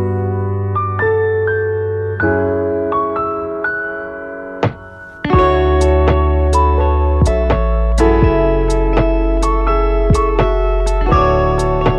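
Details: Electric piano music with steady repeated chords and a deep bass entering midway fills the recording.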